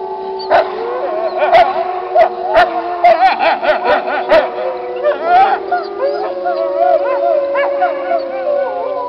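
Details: A gray wolf (Canis lupus) pack howls together in chorus, with long, wavering tones overlapping at different pitches; this is old footage of wolves now passed.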